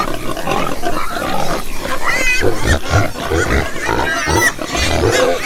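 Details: A group of farm pigs grunting low and steadily, with scattered short squeals breaking above the deep grunts and continuous background rustle.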